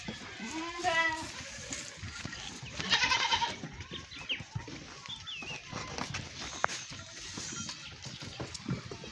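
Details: Goats during milking and feeding give two nasal, quavering bleats, the first early and the second louder a few seconds later. Farmyard shuffling, clatter and a man speaking fill the rest.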